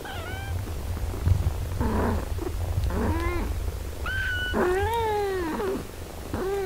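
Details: Cat family: a mother breastfeeding her eight-day-old healthy kittens. Repeated high, thin mews come every second or so, some long and wavering, others short and bent, over a constant low purring hum.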